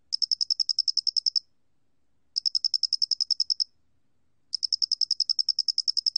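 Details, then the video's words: Square-headed cricket, recorded by Korea's National Institute of Biological Resources in 2020: three bursts of rapid, even, high chirping pulses, each lasting about 1.3 seconds and separated by roughly a second of silence. The background is clean. "모대가리귀뚜라미, 여러번 듣기, 곤충소리"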